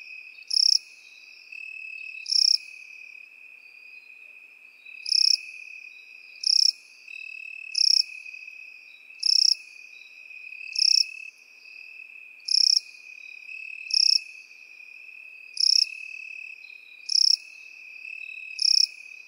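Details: Crickets and grasshoppers calling in field grass: an even, high continuous trill carries on while a dozen loud buzzy chirp pulses repeat about every 1.4 seconds after an early pause.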